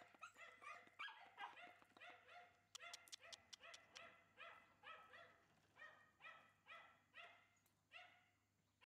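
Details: Shiba Inu puppy yapping steadily, short harmonic barks repeated roughly two or three times a second in an uneven rhythm, bright and high-pitched, with faint clicks in the background.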